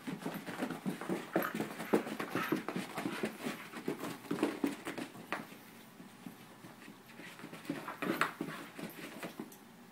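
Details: Indoors with a thirteen-year-old dog and a seven-month-old puppy, a steady stream of quick, breathy panting bursts mixed with high thin whimpers, fairly loud for six seconds before easing off, then rising again briefly.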